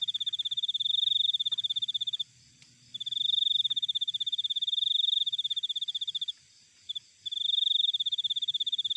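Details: Cricket recorded in nature: high, steady pulsed trills lasting about two seconds each, broken by short silences, with three long bursts and a brief stutter between the second and third; quiet background otherwise.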